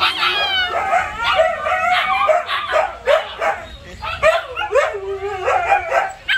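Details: Siberian Huskies, including puppies, vocalising together in a dense chorus of wavering whines, yips and short howls, overlapping voices rising and falling throughout with brief quieter gaps.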